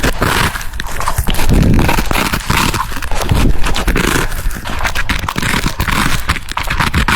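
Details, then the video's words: French Bulldog munching cucumbers at close range; loud, continuous crunching with thick low-end thumps and sharp clicky bites, the rhythm pulsing in rapid bursts across the whole stretch. "The sound of chewing cucumbers"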